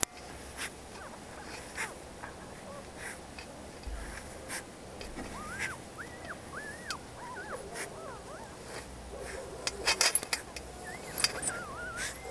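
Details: A guard dog's pups give short bursts of thin, looping whimpers that rise and dip, clustering midway and again near the end. Intermittent clicks and rustling handling noises are also heard.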